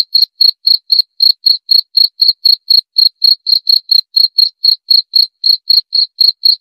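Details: A cricket calls without pause, bright shrill pulses repeated about four times per second, regular and unaccompanied by any other noise.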